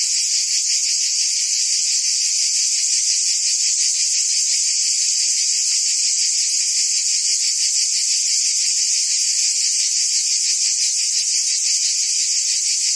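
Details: Forest cicadas in the trees give a steady shrill drone. Under it, a lower layer throbs at roughly three beats per second. The loudness never changes, and nothing else is heard.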